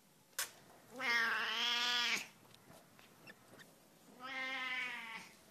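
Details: Cat that sounds like a lamb: a sharp click, then two sustained bleat-like meows with a slight wavering tone, separated by a pause of about two seconds.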